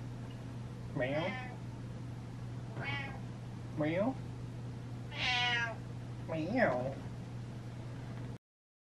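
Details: House cat feeling ignored and demanding attention, giving five insistent meows about a second apart, some rising then falling, one longer and brighter, over a constant low hum with a person echoing meows.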